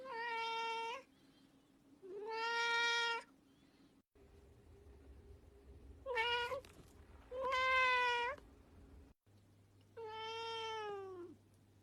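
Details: Cute cat meowing five times over twelve seconds, long tonal meows, some rising then falling, spaced irregularly, with a steady low background hum.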